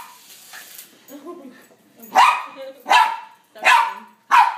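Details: Poodle dressed in costume barking repeatedly at a passing helicopter; four loud, sharp barks about a second apart follow a quieter stretch of low mixed noise and faint voices.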